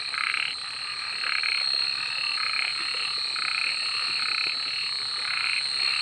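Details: Night frog chorus with rasping croaks grouped into short bursts about every second, set against a constant shrill insect hum.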